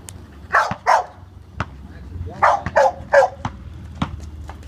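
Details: Max, a Labrador Retriever, playing a one-on-one basketball game on the 4th of July; short harsh barks come in two bursts, two then three in quick succession, between sharp thuds of a bouncing ball.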